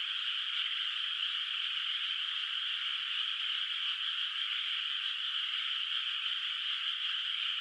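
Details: Moonlit countryside rice field at night, water still bare of rice, filled with a far-off frog chorus: dense, overlapping high calls sustained without pause, faint tiny ticks underneath.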